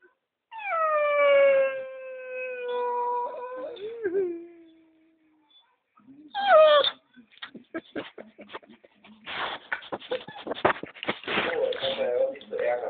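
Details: Dogo Argentino howling: one drawn-out, rich tonal howl that glides down and holds steady for about four seconds, followed by a brief yelp-like rise and then mixed speech and clatter.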